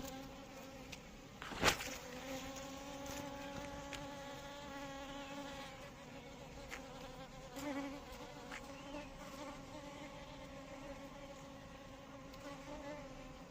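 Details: An Asian honey bee (Apis cerana indica) buzzes steadily, a droning hum with a rich, nasal tone.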